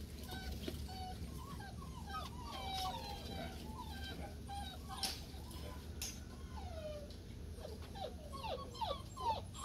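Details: Rhodesian Ridgeback puppies whine in many short, thin, wavering whimpers that overlap and repeat throughout, over a steady low background hum. The puppies were raised with vacuum cleaner noise around their whelping box.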